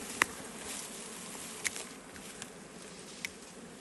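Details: Wild bees in a forest during a traditional honey harvest, a steady droning buzz running throughout, broken by three sharp clicking taps spaced about one and a half seconds apart.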